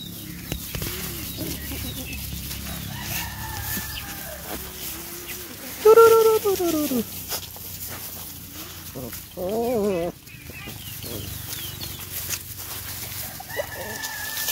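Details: Sad rescued puppy that lost its mother in the forest, whimpering: a loud, tonal whine falling in pitch near the middle, a wavering quavering whine shortly after, and faint higher whines between, over a low steady background hum.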